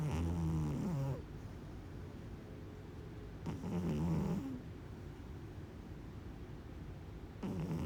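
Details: Kitten asleep and snoring, each breath a low, rough, harmonic rumble lasting about a second, repeating roughly every three to four seconds in a quiet indoor setting.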